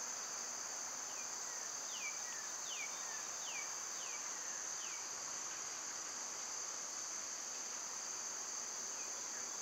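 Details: Summer cicada chorus: an unbroken shrill buzz stays high and even throughout. Over it, a series of short descending bird chirps sounds early on and then fades, leaving only the insect drone.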